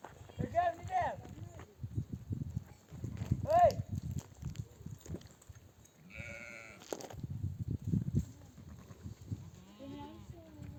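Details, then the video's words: Mother sheep of a nomadic flock bleat for their lambs to nurse after returning from desert pasture; several wavering, quavering bleats rise and fall, with low rumbling ground noise, human voices and movement between calls. "The sound of mother sheep returning from the pasture to breastfeed her babies"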